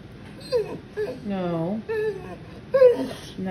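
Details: Female Boxer named Mandi talking back indoors after being told no when her owner refuses to move her sister off the couch: drawn-out, wavering moans that rise and fall, in several separate bursts, with a woman's voice nearby.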